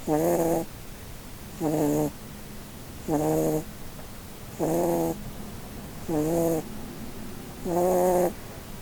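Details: Blueberry, a female Holland Lop rabbit, sleeping and dreaming under a Christmas tree indoors. She gives six harmonic, nasal snores about one and a half seconds apart, each lasting roughly half a second, with quiet breathing between them.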